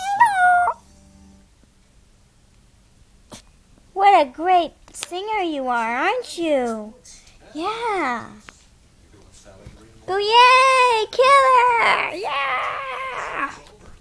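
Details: A pet Yorkshire Terrier 'sings' indoors when encouraged: a run of short wavering, arched howls rising and falling in pitch, then a longer drawn-out yowl near the end, with a woman's cheerful voice at the start.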